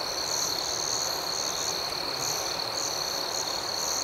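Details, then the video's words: Dense high-pitched cricket chorus at night, a sustained ringing trill with rhythmic, pulsing chirps layered above it, steady in loudness over the few seconds. "Soothing Cricket Sounds"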